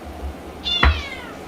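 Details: Domestic cat yelling at a person: one drawn-out, harmonic meow that slides down in pitch over about half a second, over a steady low background hum.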